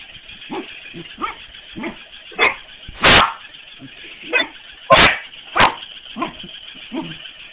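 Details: A corgi playing with a mechanical ball barks in sharp, irregular bursts, with softer grumbling yips between the louder barks.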